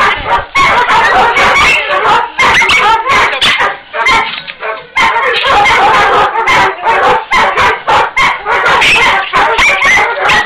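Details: Jagdterrier, a hunting dog breed, shown among Bulgarian hunting dogs; loud, sharp barks fire off rapidly, several each second, in a nearly unbroken stream with a brief lull near the middle.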